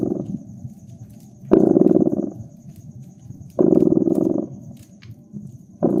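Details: Cat purr by a fireplace on a winter night, a steady vibrating drone swelling into strong rumbling bursts about every two seconds, softer in between, with light pops of burning wood behind.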